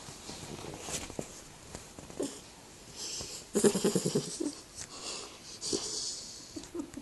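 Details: Iggy Pop, a 3-month-old Staffordshire Bull Terrier puppy, snores while asleep indoors: soft wheezy breaths build into a burst of rapid, fluttering snorts near the middle, then ease back into rough, irregular breathing.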